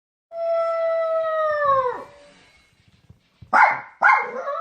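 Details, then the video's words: A puppy looking for its mother gives a long, drawn-out whine with rich overtones that sags downward at the end. After a short pause come two sharp, higher yelps. "엄마찾는 강아지"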